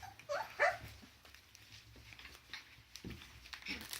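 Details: Border Collie puppies whimpering: a short burst of high, thin whines that rise and fall in pitch, packed into the first second, then faint rustling and a few soft knocks.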